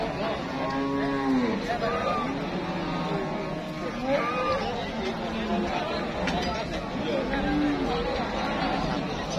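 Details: Cattle at a busy livestock market where traders queue to buy: several low, drawn-out moos rising and falling, spaced a few seconds apart, over constant crowd chatter and talking.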